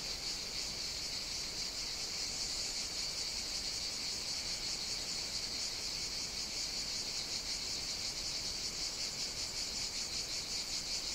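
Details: Mediterranean cicadas in summer heat on the Greek island of Evia, producing a constant high rasping drone at even loudness from start to finish.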